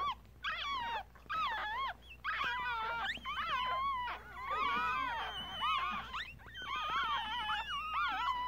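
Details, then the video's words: Newborn Yorkshire Terrier puppies, one day old, a litter of three males and two females, filmed on a Galaxy S7 phone: dense overlapping high squeaks and whines, wavering up and down in pitch, several pups crying at once in bursts. "Baby Yorkie Puppies Was Just Born.. 아기 요키 강아지가 태어났어요.."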